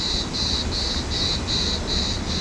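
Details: A cicada sings on a July night in Alanya, Turkey, 23 July 2023: steady high shrill pulses, each about a third of a second long, repeating rhythmically through the whole stretch over a low murmur of street hum.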